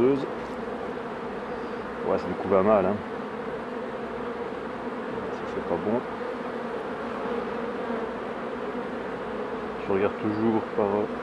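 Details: Steady, even buzzing of honey bees around hives being worked by a beekeeper, the low hum unbroken while a man speaks in short bursts at about two, six and ten seconds.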